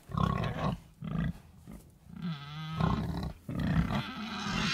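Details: Short, low pig grunts in quick bursts, then a longer, smoother drawn-out note in the middle, with the grunting starting up again afterward.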